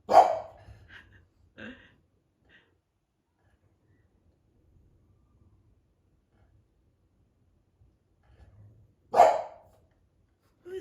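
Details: A female English Bulldog at bedtime gives two loud, gruff single barks several seconds apart, reacting to distant noise of people talking upstairs and a party next door.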